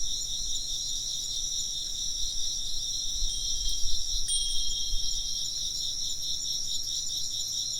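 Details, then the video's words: Insects keep up a constant high shimmering trill while a wind chime rings a few bright, thin tones midway, over a soft low rumble of wind that swells and fades. "風鈴の音と虫の声 - wind chimes and chirping insects"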